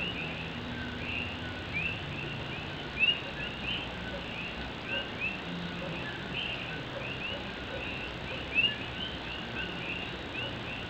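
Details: Puerto Rican coqui frogs calling through night rain in Morovis, Puerto Rico: scattered short rising chirps across the chorus, with two sharper, louder nearby calls, set against a steady wash of rain on an old tin roof.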